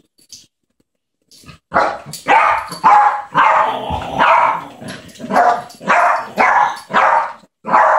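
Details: Little Yorkshire terrier named Ketty indoors, playing with a baby boy named Maxim; a run of sharp, high yappy barks repeated roughly twice a second after a short quiet start.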